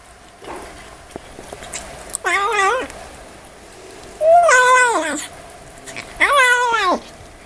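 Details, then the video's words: Kitten making talking meows while eating: three drawn-out, wavering cries, each bending up then falling, spaced about two seconds apart, with soft chewing clicks and a low room hum between. "Kitten Makes Hilarious Sounds While Eating"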